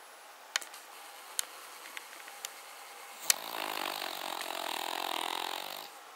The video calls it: Cavalier King Charles Spaniel - Rough snoring - [Paca]